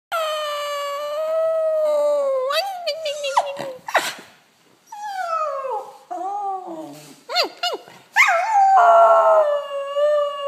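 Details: A Fox Terrier howls in long, wavering tones broken by quick sliding yelps during her daily howl with her pack.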